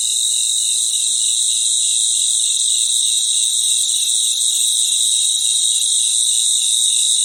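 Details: Crickets chirping together at night in a natural setting, forming an unbroken high, ringing trill stacked in several shrill layers with a gentle pulse in the lowest band, loud and even from start to finish.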